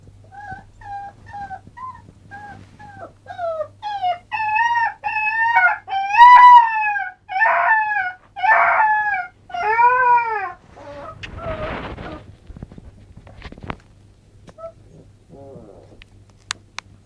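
A young Alaskan Malamute gives a series of short, quavering howls, each bending up and down in pitch and growing stronger midway. The howls trail off into breathy, rough sounds and a few faint whimpers at the end.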